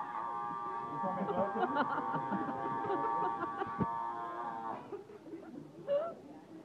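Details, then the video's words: A seal yells in one sustained, rich, moaning cry of nearly five seconds that holds a steady pitch, followed by a few short, softer grunts and a brief rising squeak. "yelling seal"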